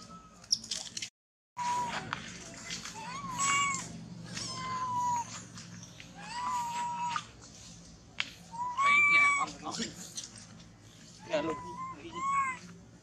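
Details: Baby monkey that has lost its mother, crying while clinging to a tree and shaking: repeated whining, wavering cries that rise and fall, some with a short upward squeal, in uneven bursts with quiet gaps and faint background voices.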